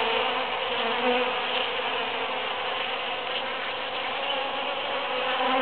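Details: Many bees work huge cactus flowers following the June 22, 2013 Super-Full Moon, filling the air with a continuous, even hum of overlapping wingbeats that swells slightly as individuals pass close by.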